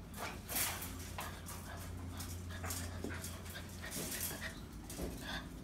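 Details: A seven-week-old Golden Retriever puppy litter at play: soft whimpers and panting break through scuffling and patter, with short, bright bursts and a steady low hum underneath.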